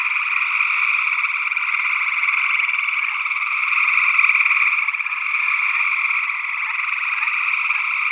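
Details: Northwest Wisconsin gray tree frogs in early June 2022, recorded in ORTF with SE Electronics sE8 condensers. The dense trilling swells toward the middle and then eases, many callers overlapping continuously, with an unidentified second frog species blended into the chorus.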